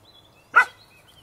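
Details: Standard Poodle puppy playing with his big sister outdoors in summer 2012: a single short, sharp bark or yip, loud and clean against a quiet background.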